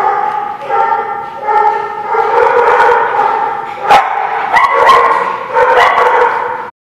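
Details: Dog barking recorded on 20 January 2017. A series of long, tuneful, howl-like barks follows one after another with brief gaps, with a couple of sharp clicks near the middle, then stops abruptly.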